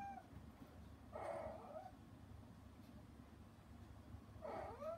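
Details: Mother cat Hana, put outside a frosted-glass door for disturbing her kittens at their weaning meal, calls in through it; two long, somewhat rough meows roughly three seconds apart, with a low steady background rumble.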